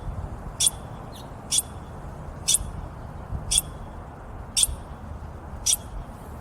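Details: Douglas ground squirrel, a species found north and west of the Sacramento River, giving sharp high chirps repeated about once a second, six calls in a row over a low rumbling background hum.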